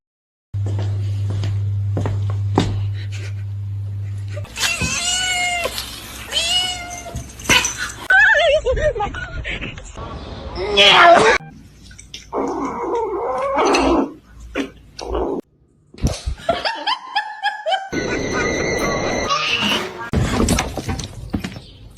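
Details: Domestic cat meowing in several drawn-out, arching cries, mixed with people talking, brief music and household knocks.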